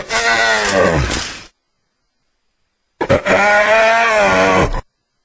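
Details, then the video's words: Hyena uttering two drawn-out, harmonic groaning calls, each about one and a half seconds long, separated by a pause. "Real Hyena Sound I Sonido de Hiena Real I Vrai Son Hyène"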